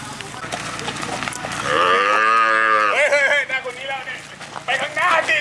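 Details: A cow, one of ten cattle handed over to poor villagers in Nong Phlap, Hua Hin, Prachuap Khiri Khan, Thailand, on 8 July 2023, gives one long, low, drawn-out moo, then people talk excitedly and clap close by.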